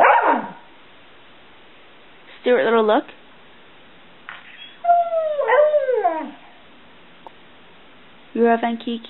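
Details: Stewart Little, a 7-year-old Border Collie mix nicknamed Bubba, answers his family's questions with short wavering vocal bursts, one bending downward in pitch. A woman's voice asks questions at the start and end.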